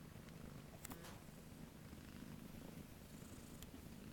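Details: Kitten at a cat rescue awaiting adoption, purring: a soft, steady low rumble throughout, with a couple of faint clicks early on.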